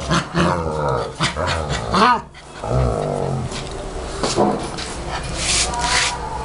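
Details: German Shepherd puppy play-fighting with its mother in 2012, giving rough continuous growls with a few whiny rising yelps, under heavy background noise.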